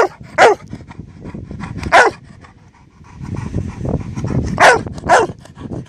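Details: A Labrador demands its ball from another dog lying in the shrubs behind. Two sharp barks, a pause filled with breathing and rustling, then two more barks close together.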